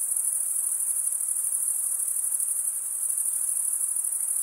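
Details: Many crickets sing at night in a summer forest, their high, fast-pulsing trill running without pause and at even loudness, with nothing else audible.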